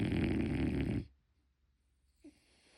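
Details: Sleeping French Bulldog named Motchi, a puppy, snoring indoors: one loud, rough, rattling snore lasting about a second, then near silence with a small soft sound later.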